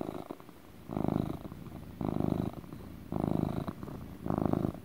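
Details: House cat purring contentedly, a relaxing motor purr; four loud buzzing rumbles about a second apart, each separated by a quieter inhaled purr phase, close and clear indoors.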